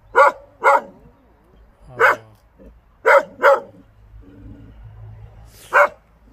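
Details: Hunting Pungsan dog barking loudly in short bursts: a quick pair, a single bark, another quick pair, then a lone bark after a pause, with faint low rumble between.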